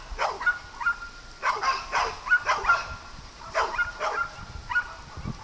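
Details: Barking from dogs playing on a farm: short, bright yaps in pairs and threes roughly every second, over a faint continuous high tone.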